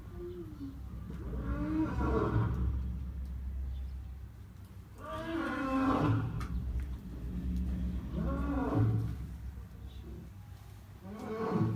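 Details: Lion encountered at close quarters: a series of deep, throaty roaring grunts, four loud bouts spaced about three seconds apart, each swelling and fading over a constant low rumble.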